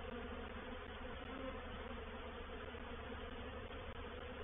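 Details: Reproductive swarm of honey bees moving into a bait hive, or swarm trap, at Painted Peacock Manor on 04/07/21: a dense, steady low hum with layered droning tones, continuous and unbroken throughout.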